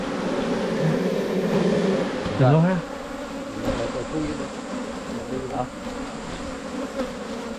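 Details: Drone of wild Asian honey bees from a 2022 honey-hunting season in Thailand, steady and low, interrupted midway by a loud rising human exclamation, with the hum continuing afterward.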